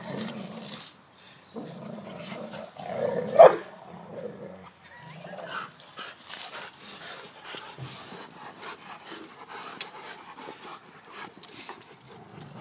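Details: Dogs Elly and Bandit at play in a tug-of-war game, with Major siding with Bandit; short rough growls open the passage, then one sharp bark, followed by scuffling and quieter rumbling and rustle.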